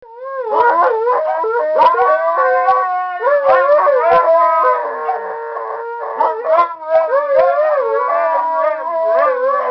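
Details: Two pet Siberian Huskies singing together at home, long wavering howls sliding up and down in overlapping tones, with short yips and breaks between phrases.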